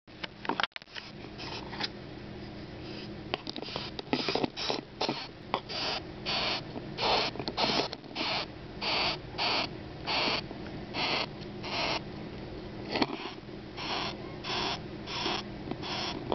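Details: Bess beetle (Odontotaenius disjunctus) found in a park, shrieking defensively when poked, a sound made by rubbing its wings on its abdomen; rasping broadband bursts repeated steadily about every half second to second, with some handling noise.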